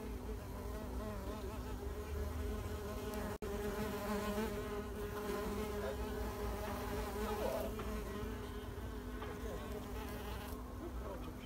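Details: Steady low hum of wild mason bees at work as spring pollinators in 2021, buzzing continuously with wavering overtones, broken once by a brief click near the middle.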